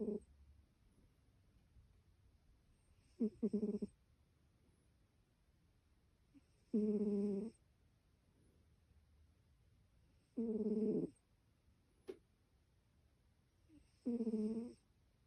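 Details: A cat snoring in its sleep: short raspy harmonic snores, each under a second long, come about every three and a half seconds with near silence between them.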